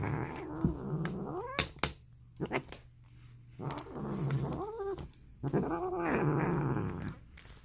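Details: Female polydactyl domestic cat making weird, raspy noises: several hoarse, wavering moans that rise and fall in pitch, coming in bouts about every one to two seconds over a low growling rumble, with a few sharp clicks and knocks.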